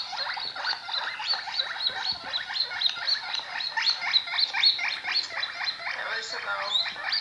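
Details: Pet guinea pig giving a fast, continuous train of short raspy chirping notes, several per second, bright and somewhat uneven in rhythm, lasting the whole stretch with no other clear sounds.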